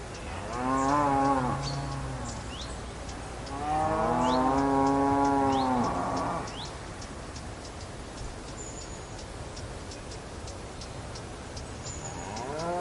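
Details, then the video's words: Cow giving two strong, drawn-out harmonic moos in the first six seconds, the second longer and louder, then quiet background with faint high ticks before a third moo begins at the end. "Cow Sound"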